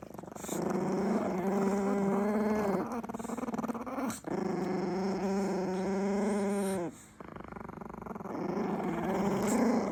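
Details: Angry growling from two Chihuahuas disturbed at their food: three sustained, rattling growls with stacked harmonics, each lasting a few seconds and separated by short breaks, the last one rising slightly in pitch.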